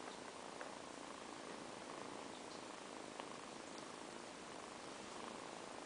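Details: Two kittens purring while napping after a long play session indoors; a soft, steady, quiet purr under a constant hiss, with faint clicks.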